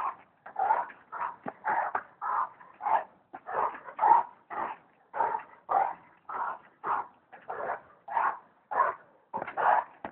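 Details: Repeated barking from a Bully Kutta, roughly seventeen short, rough yelps over ten seconds in an uneven but continuous rhythm, each bark brief and mid-pitched with a slight whine; quiet background.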